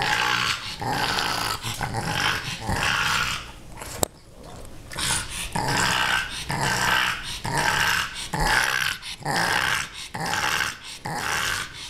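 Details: Playful growls from Rudy, a female pug who wants to play with Ms. Creamy the kitten; raspy broadband bursts repeat roughly once a second, with a brief pause near the middle, in a small indoor room.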